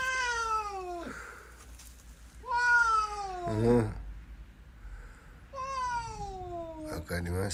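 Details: Hungry domestic cat indoors giving three long, drawn-out meows, each a clear tone sliding steadily downward over about a second, with pauses between; a person talks to it in Japanese between the calls.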